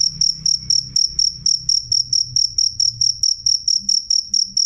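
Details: Steady train of sharp, shrill cricket chirps, each a brief ringing pulse, about four every second; a low murmuring rumble runs faintly beneath.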